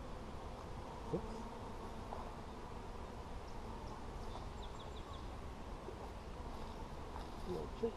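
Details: Steady humming of honey bees during a hive inspection on 17 July 2020; a dense low drone runs unbroken, with a few brief knocks and a faint high chirping trill in the background.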